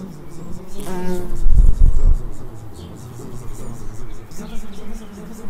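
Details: Bees buzzing in a suburb of Edinburgh, a low droning hum that shifts slightly in pitch, broken near the start by a brief higher voice-like sound and heavy thumps around two seconds.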